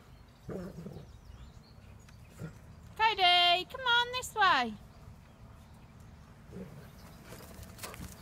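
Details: German Shepherds in a pack, among them dogs called Friday, Paige and Cody, as a person calls them along. Midway, a few high, drawn-out whining cries rise and fall in quick succession, framed by faint rustling and soft background voices.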